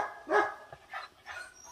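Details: Pit bull hunting dog, prompted by its owner to say hello, answers with three short moaning, harmonic vocal bursts, the first loudest, spaced about half a second apart.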